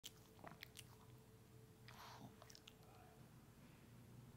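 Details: Pepe the dog licking and eating a peanut butter treat indoors: soft, irregular wet smacks and crunchy chewing clicks, quiet and close, over a faint steady hum in a small room.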